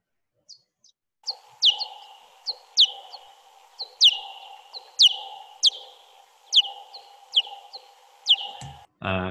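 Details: Big brown bat echolocation calls, each sweeping from about 65 kHz or more down to about 25 kHz, slowed tenfold: a series of sharp, downward-sweeping chirps that sound almost birdlike.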